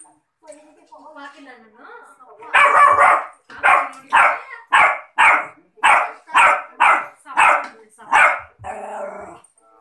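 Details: A 3-month-old Rottweiler puppy gives a steady run of sharp, high-pitched barks, each about half a second apart.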